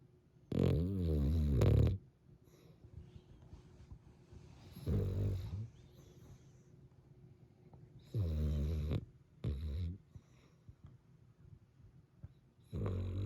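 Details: Cavalier King Charles Spaniel asleep on a snowy winter day, low rumbling snores coming in uneven bursts, some long and some short, with soft breathy pauses between them.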